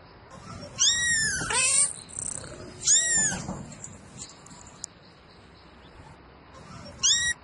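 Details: Domestic cat calling for a mate at night: high, arching meows that rise and then fall, two drawn-out cries close together, a third brief one near the end, and faint background noise between them.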